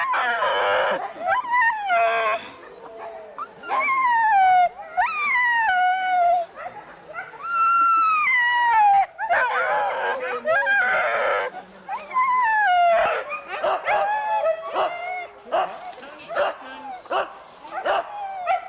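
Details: Huskies gathered for a sled dog race in the Forest of Dean, November 2001, old VHS recording: long wavering howls sliding downward, several dogs overlapping, interspersed with sharp yelps and short silences.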